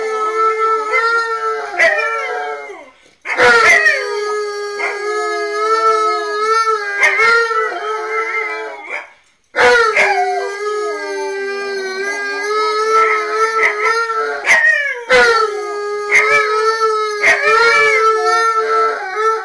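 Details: Two dogs, Tonka and Monroe, howl together to Memphis and Kira while their owner is away, captured by security cameras: long overlapping howls that swoop and waver, with two short pauses between bouts.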